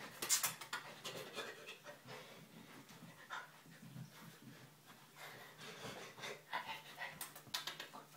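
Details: Panting of Ramo, a Siberian Husky puppy nine weeks old, while playing: rapid rasping breaths repeated in short bursts throughout, with faint rustling in the background.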